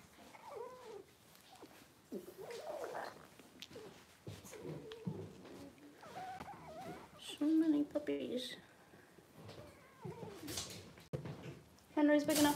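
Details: Cavalier King Charles Spaniel puppies, six weeks old, handled indoors for deworming and toenail trimming; repeated squealing whimpers rise and fall between bursts of people talking, growing louder and more strained toward the end.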